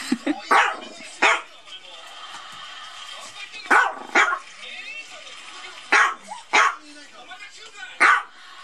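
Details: Playful Maltese tussling with a toy duck, letting out about seven short, punchy yaps, some in quick pairs, others separated by pauses of a second or two, over a faint indoor hiss.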